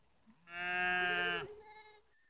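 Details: Ewe or lamb from a group of a sheep with three black lambs in Netoniai, Kaunas district, Lithuania, late September evening: one loud, wavering bleat about a second long with rich harmonics, followed by a softer, shorter second bleat.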